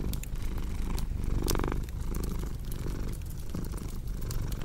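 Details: Domestic cat purring in a low, steady rumble, with sharp crackles and pops from a fireplace throughout and a brief louder tonal swell near the middle.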